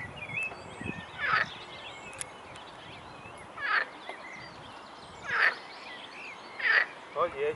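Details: Chorus of edible frogs at a tributary of the Svratka river near a cycle path in Brno-south, Czech Republic: four loud, rasping croak bursts spaced one to two seconds apart over quiet flowing water.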